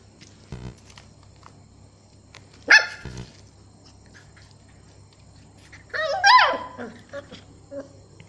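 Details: Stella, a two-month-old Beagle puppy, barking for the first time: a short sharp bark, then near the end a longer yelping bark that rises and falls, with a steady low hum indoors.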